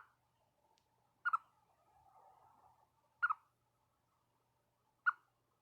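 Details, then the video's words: A pet chipmunk gives sharp, bright double alarm chirps about every two seconds, with a faint soft murmur between calls. It chirps at birds it hears to warn its owner of danger. "Chipmunk chirping at birds to alert me to the danger"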